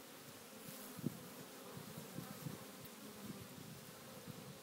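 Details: African honey bees massed on the ground after their swarm fell, searching for the queen; a low, steady hum of wingbeats with a few slightly louder buzzing flickers.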